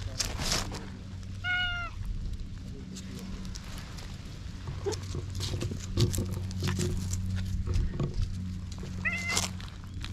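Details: Stray cat in a park, walking up to be petted, gives two short clear meows with bright harmonics, one early and one near the end, over a steady low hum with scattered clicks, rustling and handling noise.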